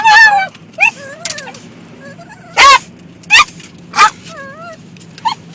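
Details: A dog in a car reacting to water hitting the vehicle: long wavering high whines open, then three loud, sharp barks about a second apart, a short yelp to finish, over a steady low engine hum.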